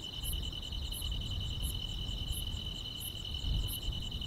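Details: Grass insects singing through a peaceful summer night, a steady high-pitched trill beneath clear chirps recurring roughly every 0.7 seconds, with noticeable low rumbling ambient noise.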